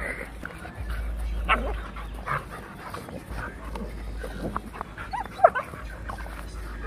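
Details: A Rottweiler and a Labrador puppy scuffle, giving irregular growls and brief barks, with one sharp high yelp late on, a low hum throughout, and voices faintly mixed in.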